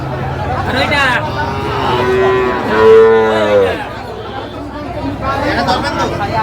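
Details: Sahiwal bull calf at a cattle market in Comilla, Bangladesh, 25 April 2025, bought by a local farmer; one drawn-out moo of about a second and a half, sliding downward at its end, over steady market chatter and men's voices.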